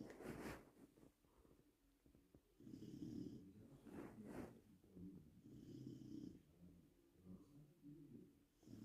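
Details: Bruno, a Labrador Retriever in Poland, snoring softly: quiet, rough, breathy snores rising and falling with each breath, about every two seconds, with faint rasping between.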